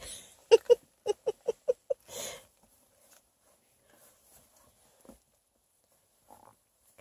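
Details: Female Bluetick Pocket Beagle puppy named China, snug in bed after a long car ride and refusing to get up; a quick run of about seven short grunting pulses over two seconds, then a breathy huff and near silence.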